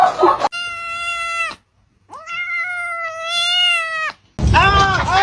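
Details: Kitten meowing: two long, steady, evenly pitched meows, the first about a second long, the second nearly two seconds with a slight upward start, separated by a brief silence, with bursts of other noise at the start and end.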